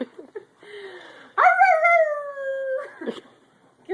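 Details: Dog that has lost its voice, with laryngitis, giving a strained, hoarse howl. Short squeaky yips come first, then a sustained tone rises sharply and holds steady for over a second before breaking off. People talk nearby.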